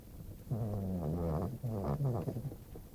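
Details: Female pet dog snoring as she sleeps indoors: two long, loud, rattling snores, each lasting about a second, low and harmonic with a wavering pulse, separated by a brief pause.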